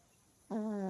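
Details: A female Chihuahua snores: after a moment of quiet, a buzzy, nasal, reedy tone starts abruptly and holds at one low pitch for about half a second, like a soft hum through the nose.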